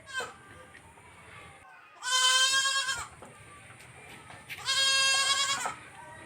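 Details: Baby goat on a farm giving two loud, drawn-out nasal bleats about two seconds apart, each wavering and slightly falling at the end, with quiet background hiss between calls.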